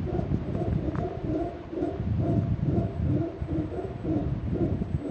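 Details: Wild howler monkey calling from the trees above the Sendero Las Pailas trail in Rincon de la Vieja National Park, Costa Rica, announcing his presence, recorded by cell phone; deep guttural roars pulse steadily about twice a second, rough and continuous.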